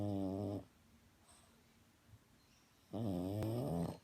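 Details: Sleeping French bulldog snoring indoors: two harmonic, nasal snore bursts, one at the start and a longer one near the end, separated by a quiet pause of about two seconds.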